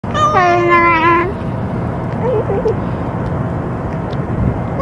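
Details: Ear-tipped stray cat at a feeding, vocalizing while eating after being threatened by another cat that had finished its meal; a single drawn-out, wavering meow near the start, then steady traffic-like rumble and faint background chatter.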